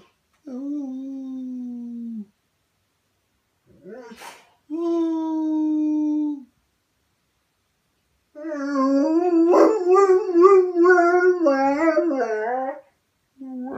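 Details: Domestic dog howling in separate bursts: a short level howl, a brief yip, a held even tone, then a longer quavering, wobbling howl, with silent gaps between.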